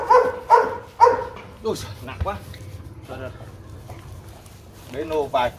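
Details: Rottweilers Bruno, a young champion of Latvia, and his seven-month-old son Igor meeting; three sharp barks about half a second apart open the recording, followed by human voices talking.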